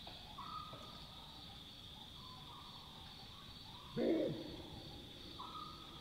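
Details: Wild Chacma baboons at night in the African bush: one short, harsh bark bursts out midway against a steady hum of night insects, with faint tonal calls before and after.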